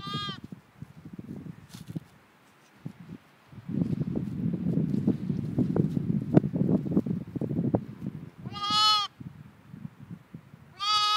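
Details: Two lambs only four hours old with their mother in a field; loud wavering bleats come near the end, one brief bleat earlier, amid low rustling and trampling sounds.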